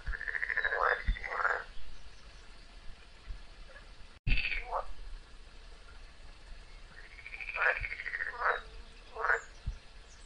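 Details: Frog fighting a snake: drawn-out nasal screams, each bending up and then down, followed by shorter yelps, in two clusters separated by a brief break.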